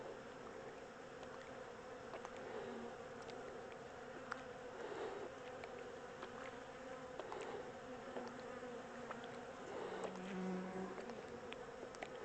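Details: Swarm of honey bees during transfer from a temporary small box to a bigger hive: continuous droning hum of many insects, swelling slightly in places, dotted with brief knocks and clicks from handling.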